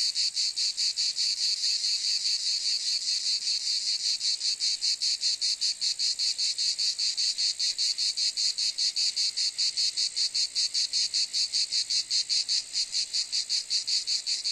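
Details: Cicada singing a continuous, piercing metallic buzz that throbs rapidly and very regularly, loud and unbroken for the whole stretch, nothing else audible.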